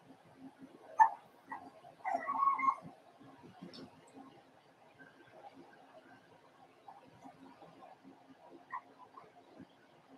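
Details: Four-week-old Cavalier King Charles Spaniel puppies from Daisy's litter in their puppy pen give a sharp squeak, then a rising, strained whine lasting under a second, followed by scattered soft whimpers over a low background murmur.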